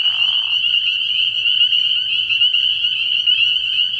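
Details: Early-year nighttime frog pond full of spring peepers: continuous high-pitched overlapping peeps forming a shrill even chorus, opened by a half-second lower rasping call.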